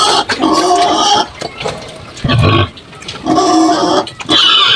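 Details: Domestic sows, three on a farm, being given multivitamin injections. Loud harsh squealing bursts come repeatedly, with short quieter gaps and low grunting noise between them.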